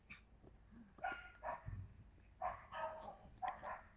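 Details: Yakutian Laika recorded in September 2020, giving a series of short, sharp barks in quick bursts about every half second to one second, with faint background noise between them.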